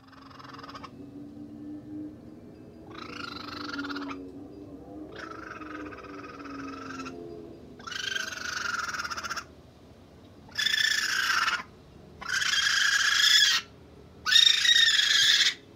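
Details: Young raccoon kits, newly brought around by their mother on 22 June 2022, chirping loudly: a run of harsh, buzzy bursts about a second long with short pauses, growing louder and shriller, over a faint low wavering tone early on.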